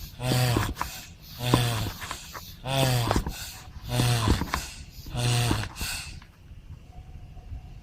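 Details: Turtle moaning, one of a set of turtle sounds: five rhythmic low groaning calls about every 1.2 seconds, each with a harmonic, breathy wheezing quality and a short pause between, then quiet.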